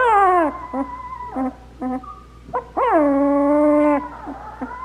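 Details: A two-week-old black Labrador Retriever puppy, among a litter first learning to walk, gives a long falling whine, a few short yips, then a sustained level whine that trails off, with a faint low hum underneath.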